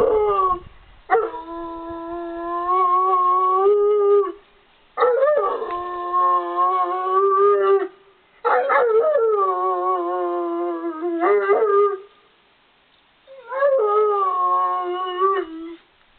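A Rottweiler 'talks' in sustained, tuneful howls, each lasting about three seconds with a rising, yodelling onset before settling onto a steady moan. Four such bouts come in turn, separated by short pauses.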